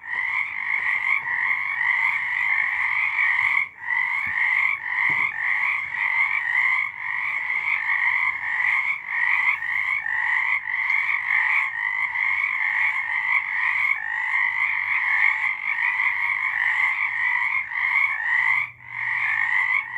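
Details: Night chorus of many frogs in March 2023: continuous trilled croaking in two bright bands, nearly unbroken for twenty seconds, with brief dips around the fourth and nineteenth seconds and faint low rumble beneath.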